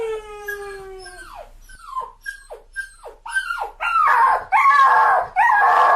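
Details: Dog crying: a long, steady whine, then short falling whimpers about once a second, building into loud, harsh, drawn-out cries.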